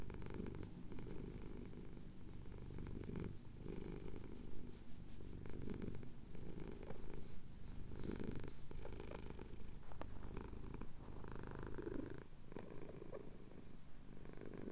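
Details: Male domestic cat purring as his chin is scratched at sunrise over the Cotswold hills, captured on a Tascam DR-07X; a deep, rumbling purr in steady waves, each pausing briefly for breath roughly every two to three seconds.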